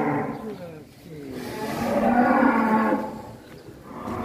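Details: Very large cattle being readied as Qurban sacrifice animals in Indonesia, giving a drawn-out low harmonic moo that swells through the middle and fades, with background talk and music.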